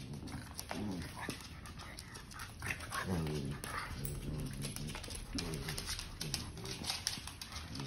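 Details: Indoor play fight between Gizmo, a three-year-old pug, and Hazel, a ten-week-old basset hound puppy, with his repeated butt-slam move. Low, throaty growls and brief whiny grumbles rise and fall over constant scrabbling, tapping claws and bumps.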